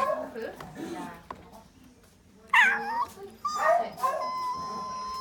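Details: A female Corgi "sings" after her leg surgery, on December 26, 2018, howling in high, wavering notes that settle into one long, steady tone.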